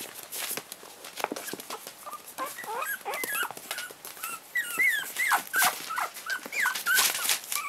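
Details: Four-week-old Chihuahua puppies, 7/8 Chihuahua and 1/8 pug, from their mother Laika's first litter, playing with her indoors: a run of short, high squeaks and whimpers, each sliding up or down, coming several per second, over constant crinkling and rustling.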